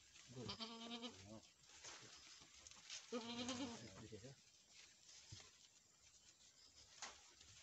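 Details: Two drawn-out, wavering bleats about three seconds apart from Boer goats on a farm in Nepal, recorded after a first-time doe successfully gave birth to a male kid; quieter knocks and faint voices follow.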